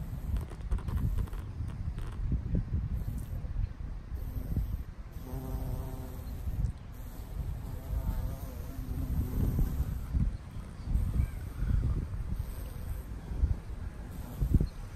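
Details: A female Valley carpenter bee (Xylocopa varipuncta) feeding on Mexican sage in a garden gives a low, droning wing buzz that rises and fades as it passes.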